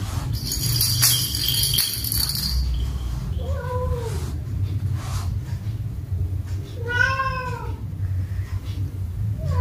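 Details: Domestic cats playing with a ball on a rainy day. Two drawn-out meows, each bending up then down, about three seconds apart, over a steady low rumble. Indonesian speech is nearby.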